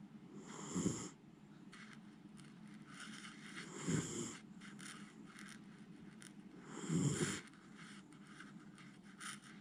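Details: Miniature Schnauzer named Jiji fast asleep and snoring loudly, too tired to wake at small noises; rasping snores recur about every three seconds, each a short noisy burst with quieter breathing between.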